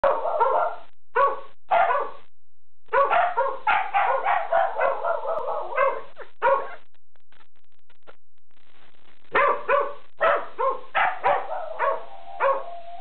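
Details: Dog howling at coyotes: bursts of short, yelping barks and yips run together into wavering howl-like phrases, with pauses between groups and a longer drawn-out note near the end.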